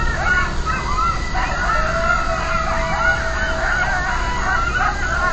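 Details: Nighttime coyote chorus triggered by a distant siren, many quavering yelps and howls sliding up and down together, a long level siren-like tone beneath them midway, with constant deep background hum.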